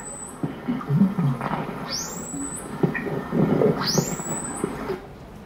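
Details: Rough-toothed dolphin (Steno bredanensis) whistles: high, clear tones that sweep upward and then hold steady, rather like bird calls.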